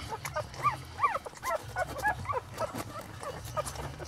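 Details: Newborn Lhasa Apso puppies from a litter of eight, born on Elvis Presley's birthday, give a run of short rising-and-falling high squeals, several overlapping, with a low background hum.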